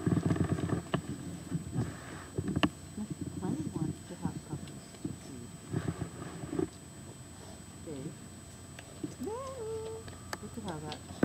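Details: Weimaraner puppies grunt and snuffle while nursing from their mother, with a few thin rising whines and whimpers near the end.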